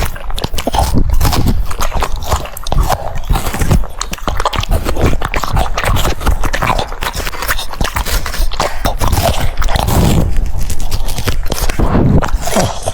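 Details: French Bulldog eating cucumbers; rhythmic biting and mastication heard very close, rapid crisp crunches repeating several times a second over a deep thudding base, continuing evenly throughout.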